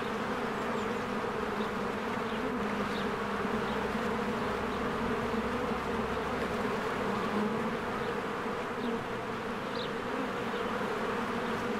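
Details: Honeybees in spring fly in and out of their hive as flowers bloom. A dense, steady, low drone with a strong hum band runs the whole time, and faint short bird chirps sound high above it.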